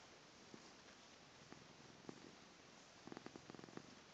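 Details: Pumpkin, a female house cat, waking from sleep and settling into her 'motorboat' purring mode: soft, low, pulsed purr ticks, scattered at first, then a rapid dense burst near the end, over a steady background hiss.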